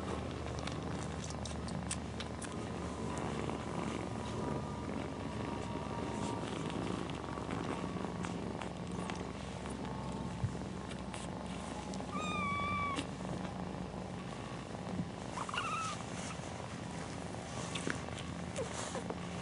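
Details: Mother cat purring steadily as her kittens nurse, a low pulsing rumble throughout, broken by two brief high squeaky mews from a kitten partway through, with light rustling.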